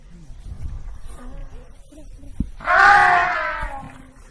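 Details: Over low, murmuring background noise and a sharp knock, an African elephant lets out a sudden loud, brassy trumpet that slowly tapers off.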